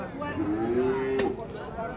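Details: A single short, rising moo from a young calf in Indonesia, followed by a sharp click.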